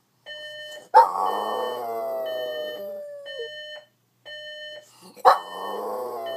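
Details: A Boston Terrier that dislikes the alarm clock gives a loud, wavering howl that slides downward over the clock's steady beeping.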